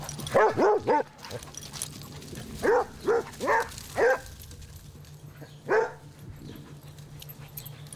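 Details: Basset Hound father and son, Noble and his grown puppy Lotso Bear, reunited; deep bellowing barks in quick runs of three and four, then a single bark near the end, over a steady low hum.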